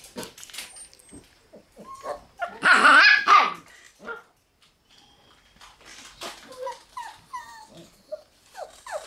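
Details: Black Shiba Inu puppy brothers born on January 30 make short high whimpers and yelps, with one loud noisy squeal burst near the middle and rising squeaky cries toward the end.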